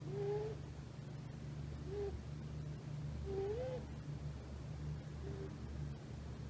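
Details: Sleeping rescued tuxedo kitten, female, about three months old, curled against a person's thigh; soft whistled nasal snores, each a short rising tone, four in about six seconds, over a low steady hum, very quiet overall.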